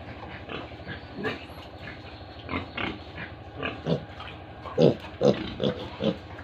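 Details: On a Tripura pig farm, a pig gives a series of deep, short grunts, roughly two a second, growing louder toward the end, with a low steady hum in the background.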